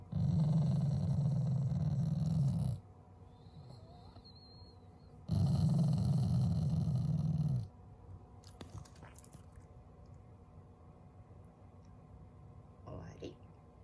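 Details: Loving family Shiba Inu growling without anger as an expression of affection: two deep, sustained rumbles of about two and a half seconds each, followed by faint handling noises and soft clicks.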